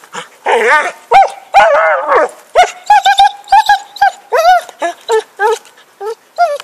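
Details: Dog called Happy, stick in play, 2012: long drawn-out whining yowls open, then break into a quick string of bright, repeated barks.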